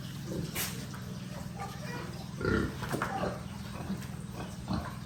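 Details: Little piglets at a rural pig farm give a few low, rough grunts and one louder squeal near the middle. A constant low mechanical hum runs underneath throughout.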